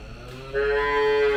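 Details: Calf at a cattle dairy farm near Mount Kinabalu, Malaysia, making a brief "singing" moo: a steady, tonal call rising in loudness after a short noisy start, holding one clear pitch with rich overtones.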